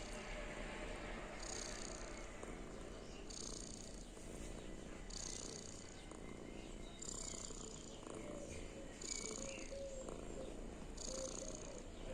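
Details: Sleeping house cat giving a contented purr of happiness, a continuous low droning rumble broken by airy hiss-like breaths about every two seconds, with a few faint high chirps heard behind it.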